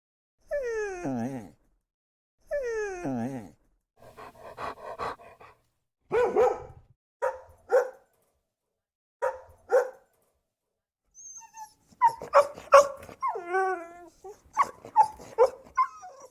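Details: Dog barking and whining: drawn-out falling whimpers, then a series of short sharp barks, some in quick bursts, with high yelps near the end; quiet gaps between calls.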